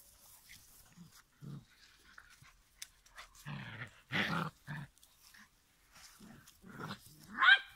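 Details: Giant schnauzer puppies, five weeks old, in a litter: short rough growling bursts in a quick cluster, then a sharp rising squeal near the end, over quiet shuffling sounds.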